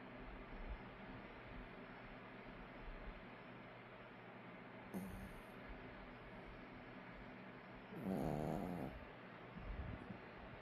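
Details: Puppy named Allok napping during the day, snoring: a steady low rumbling hum with a louder harmonic snort near the end, plus a faint click partway through.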